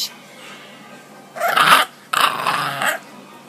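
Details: Bulldog puppy, male, tired after a long walk and overexcited play that gave him hiccups, grumbling in protest at being put down for a nap; two harsh, rough vocal bursts, the first about half a second, the second nearly a second long, separated by a short pause.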